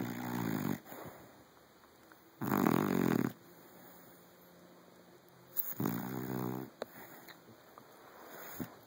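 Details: Teddy, a Saint Bernard pup aged five months, asleep and snoring: harsh, buzzy inhalations recurring about every two and a half to three seconds, the middle one loudest, with faint breathing and small rustles between.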